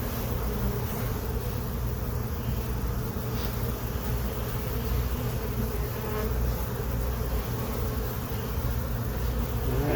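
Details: During an inspection of a hive box colonised by honey bees on April 29, 2022, with fresh comb, larvae and eggs, a dense, continuous low hum of many bees fills the whole recording without pause.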